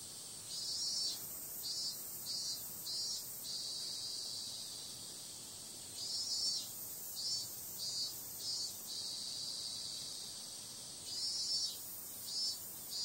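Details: Cicadas on a summer night: a steady high, hissing buzz with groups of louder pulsing bursts, about four to six in quick succession, recurring every few seconds. No other clear sounds.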